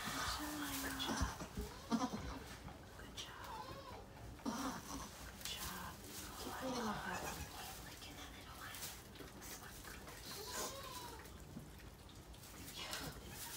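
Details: Goat at Goats of Anarchy sanctuary during the birth of four kids; mother Maybel, a rescued former breeding doe. Short, high, wavering bleats rise and fall at intervals, with lower cries between them, over people talking quietly in a room.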